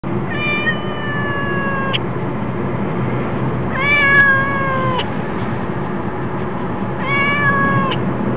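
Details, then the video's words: Crying cat giving three drawn-out, slightly falling meows, each about a second and a half long and spaced roughly three seconds apart, over a steady low rumble of background noise. "crying cat"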